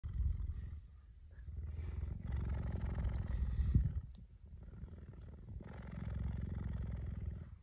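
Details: Cheetah giving a deep, continuous rumbling purr that swells and fades in long waves, with brief pauses between breaths.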